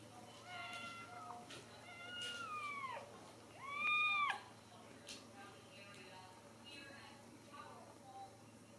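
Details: Several Ragdoll kittens from a home cattery in central Kansas, raised without cages, give high thin meows, some rising and falling in arcs, two or three calls overlapping over a quiet room background.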